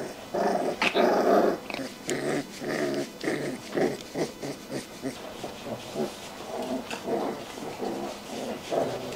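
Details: Rottweiler puppies at a kennel in Hanoi, Vietnam, growl in rough, rumbling bursts like tiger cubs, one after another with brief pauses.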